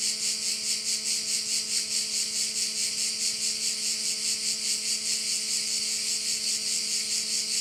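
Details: On Korčula in Croatia, crickets fill a bay with a shrill, grainy, unbroken buzz that swells and fades in rapid even pulses, above a quiet steady low drone.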